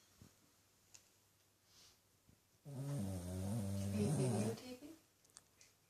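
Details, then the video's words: Sleeping indoors, Buddy, a 13-year-old rescued Shih Tzu and Pug cross dog, lets out a loud guttural snore of about two seconds after a few faint soft clicks, the rumble wavering in pitch before fading. "Buddy Snoring"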